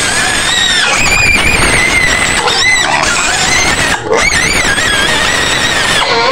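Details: Penned white pigs near Medan giving piercing, drawn-out squeals that bend up and down, crowding together in a continuous shrill din with brief breaks, and a short gap of quiet near the middle.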